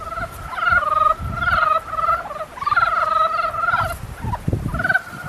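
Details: Long, rattling, pulsed croaks from frogs in the mating season, drawn out for about a second each, with low rumbling and knocking noises between calls.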